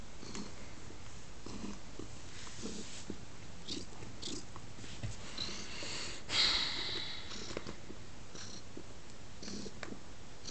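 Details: Male domestic cat snuggling on a lap indoors, purring in a low steady rumble under rustling and brief handling noises, with a sharper scrape near the middle.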